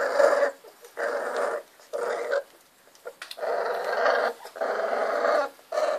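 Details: Three-week-old Miniature Bull Terrier puppies in their first play fights give rough, harsh, mid-pitched growling squeals under a second long. The bursts come roughly once a second with brief quiet gaps.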